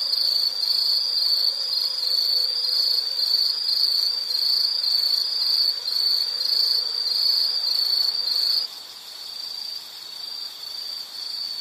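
An insect gives a steady, high-pitched pulsing trill that drops in volume near the end.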